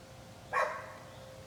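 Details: A neighbour's dog gives a single short, sharp bark while barking at someone using a leaf blower; the rest of the moment is quiet, with a faint steady hum beneath.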